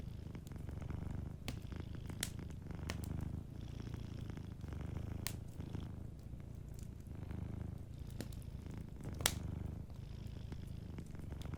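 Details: Soft, steady purring from a sleeping cat by a cozy fireplace, a deep throbbing drone rising and falling in breath-paced cycles for over eleven seconds, with frequent crisp crackles and snaps from the fire.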